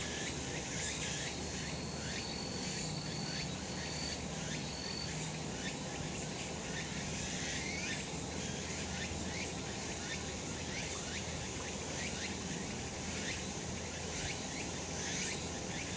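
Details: Cicadas in a sunny spot on a summer mountain: a dense, steady high buzzing chorus with rhythmic pulsing swells, and a faint thin whistle drifting through early on.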